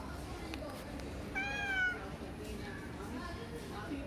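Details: A calico cat gives a single clear meow lasting about half a second. The note is tonal and slightly falling, set against steady low background noise.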